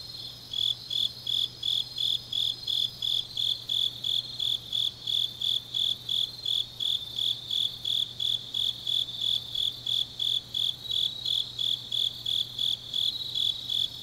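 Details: Autumn grass insects sing at night in Changnyeong, Gyeongnam, South Korea: a shrill, even pulsing chirp repeating roughly three times a second, with a second higher insect trill and a low steady hum underneath.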